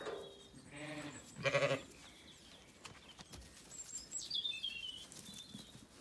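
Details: Zwartbles sheep on a farm in County Kilkenny, Ireland, at sunset after feeding; two short bleats early on, then quieter background with a faint high bird-like chirp as the flock settles for the night.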